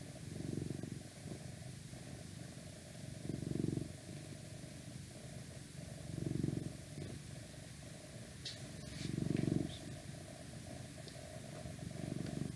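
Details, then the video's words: An elderly male house cat, 12 years old and on thyroid medicine, purring while having his inner ear rubbed; a low rumble rising into louder swells about every three seconds, with a few faint clicks. "Cat Purring"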